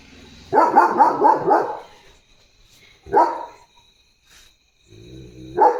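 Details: Pet German Shepherd barking in the morning: a fast volley of four or five harsh barks, then a pause, one more bark, a low murmur, and a final sharp bark.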